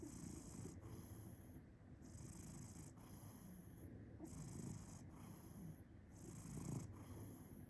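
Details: A cat purring while snoring: a steady low rumbling purr with breathy snore cycles rising and falling about once a second, and a faint high hiss in the background.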